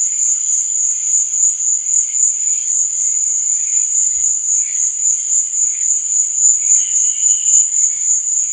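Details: Crickets chirping at night in a sleep and relaxation soundscape: a steady, shrill high-pitched trill whose loudness pulses several times a second, with softer scattered chirps beneath and no other clear sounds.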